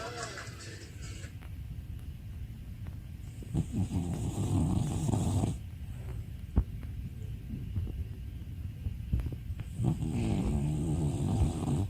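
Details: An eight-year-old pet beagle snoring while asleep: rough, low rumbling breaths in uneven bursts, strongest around four to five seconds and again near the end, with faint voices in the background.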